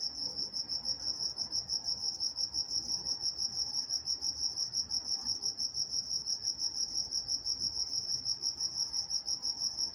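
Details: Crickets chirp steadily at night in a high, shrill, pulsing chorus with no break, recorded on August 23, 2023 in Walnut, California.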